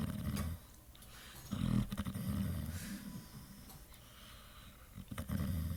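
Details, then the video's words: Sleeping, dreaming Pit Bull giving low, throaty snores with growling undertones in uneven bursts, loud at the start and again near the end, with quieter breathing between. "Snoring Pit Bull"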